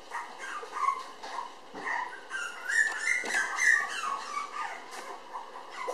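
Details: Red Toy Poodle girl puppy, about six weeks old at 700 g, making continuous high squeaky whimpers and short yelps over a noisy indoor background.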